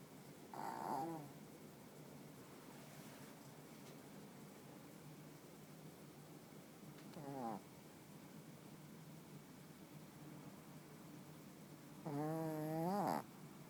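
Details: Ten-year-old Shih Tzu asleep at night, on one of its regular snoring nights: three short, raspy, nasal snores at uneven gaps, with steady quiet room hiss between them.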